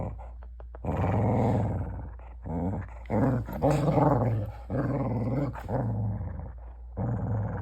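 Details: A border collie gives a weird drawn-out growling grumble in a small room, low and throaty with wobbling pitch, in several sustained bursts after a few short clicks at the start.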